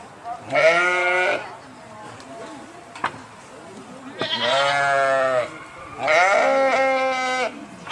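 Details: Three separate sheep bleats, each roughly a second long, spaced a few seconds apart. A sharp click sounds between the first and second.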